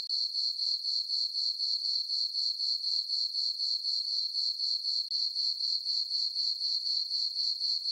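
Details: On a farm meadow at night under the full moon in summer, crickets chirp in a bright, ringing, rapid pulse, about four beats per second, steady and unbroken.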